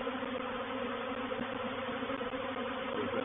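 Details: Reproductive swarm of honey bees moving into a bait hive at Painted Peacock Manor on 04/07/21: a dense, steady buzzing hum of many bees, with low droning bands and no break in the sound.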